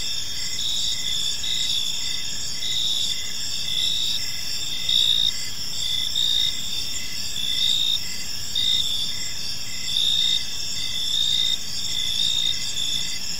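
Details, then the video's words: Gentle chirping of crickets in a serene park at evening: unbroken high trilling from many insects, some bands beating in slow pulses, with a noticeable low-frequency background rumble throughout. "Park Serenade: Cricket Sounds in a Peaceful Park | Evening Ambience"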